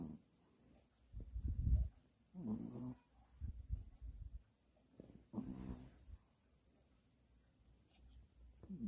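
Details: Pomeranian named Sarang sleeps indoors and snores loudly in deep, rough, rumbling pulls, several irregular bursts a few seconds apart with quiet pauses between, and faint rustling in the room.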